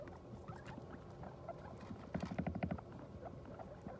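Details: Guinea pig that has just given birth to New Year's babies; a short burst of rapid, low, pulsed chirring notes about two seconds in, standing out briefly over steady rustling and bedding noise.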